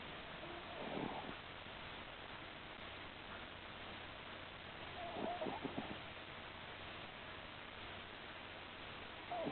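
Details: Butter, a male pet cat, snoring while asleep at home: soft, breathy rasping bursts about every four seconds over a steady faint hiss, with no other clear sounds.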